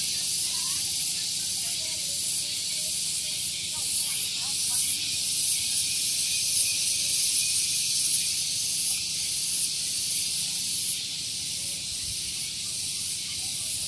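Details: Loud morning cicada song at Gunung Geulis, Bogor, West Java, recorded near parked vehicles: a continuous piercing buzz with regular pulses, and faint chirping notes in the first seconds.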